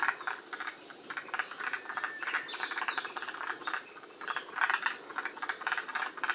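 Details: A group of forest green tree frogs at Shiriya, Aomori, Japan, one of the northernmost populations; quick rattling croaks repeat in uneven clusters, several frogs overlapping, with thin high whistled notes near the middle.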